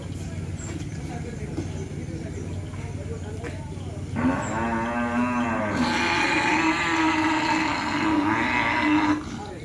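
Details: Madura cattle at a kerapan sapi bull race, a champion racing bull among the entrants, lets out a long, loud moo of about five seconds, wavering in pitch, with crowd noise, speech and a harsh hissing layer over its second half.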